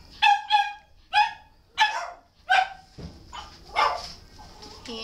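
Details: Shelter dog barking in a rapid series of high, ringing barks and yips, the first two doubled close together, then single barks at roughly half-second gaps, fading into softer, noisier calls.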